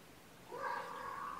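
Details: Domestic kitten, one of a sleepy litter of foster kittens waking up snuggled with a carer on weigh-in night, gives a single drawn-out meow that swells in after a quiet start and holds steady for about a second over soft room hiss.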